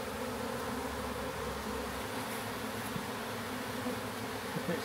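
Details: Massive honey bee swarm in a backyard, being captured and moved into a new hive box, recorded on a DJI Pocket 3; dense, steady low droning hum runs unbroken throughout, even in loudness, with soft hiss and occasional light knocks.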